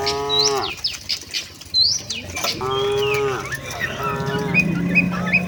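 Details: Tame cattle heading to the shed with the herd, two drawn-out moos close by, the first starting the clip and the second near its middle, over constant chirping and whistling of small birds and a steady low hum near the end.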